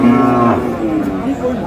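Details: A cow at Aftabganj cattle market, where cheap, lean dairy cows are sold, gives a short, rich, steady moo lasting about half a second, then fades into the market noise and voices.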